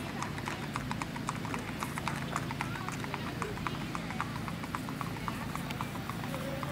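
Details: Hoof strikes of a strawberry roan Tennessee Walking Horse stud under a little girl rider, ladies' trail ride, Macedonia, Texas; even, rapid clip-clop beats repeat throughout, with low hum and some speech.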